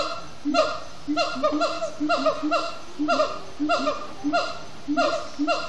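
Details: Siamangs at Disney's Animal Kingdom, singing in the evening after playful activity; bouncy, barking hoots with downward-curving harmonics recur in short groups about every half to one second.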